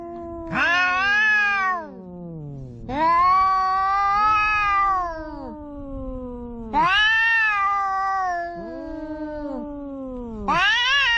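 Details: Two cats quarrelling at the seaside, one of them orange: long, wavering, drawn-out yowls that rise and fall, overlapping in four loud bouts over eleven seconds, with a faint low rumble underneath.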